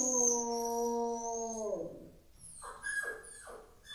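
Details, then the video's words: Rottweiler named Rocky howling, upset about the puppy: a steady, richly harmonic howl held for about a second and a half, then sliding downward, followed by three short rising yips or whimpers. "Rottweiler che ulula"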